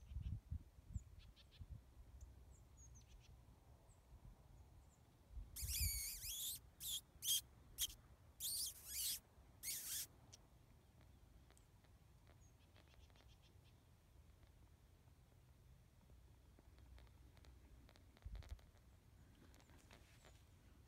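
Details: Coyote in Central Texas calling in a run of five or six sharp, harsh yips over about four seconds, some sliding downward, then quiet outdoor ambience with faint distant chirps and low wind-like rumble.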